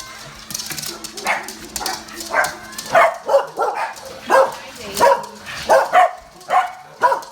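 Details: Domestic dog barking at the door when the doorbell rings or someone arrives: a run of sharp, loud barks, roughly two per second at the peak, with faint background music.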